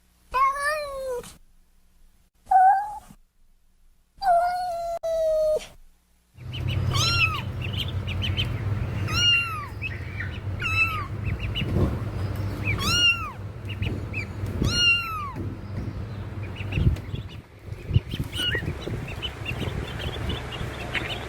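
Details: Kitten meows from a compilation: a few clear rising-falling mews at the start, then a run of short high arched meows roughly every two seconds over a steady low hum.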